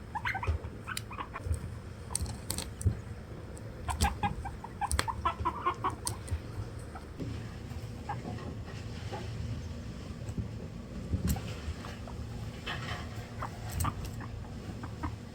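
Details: A younger sister guinea pig trying to climb onto another guinea pig makes soft, short clucking chirps in quick bursts, quieter later on, over a steady low room hum.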